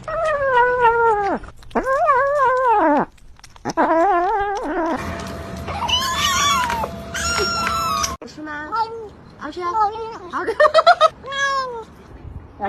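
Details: Cat meowing while being offered food indoors, a string of wavering, bending meows of varying length, several in quick succession, broken by a burst of music in the middle.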